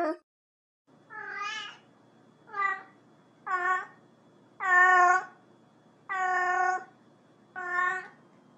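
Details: A cat meows repeatedly, about seven short-to-medium calls with rich, nasal tone, some sharply clipped and others held longer, over a low steady indoor hum.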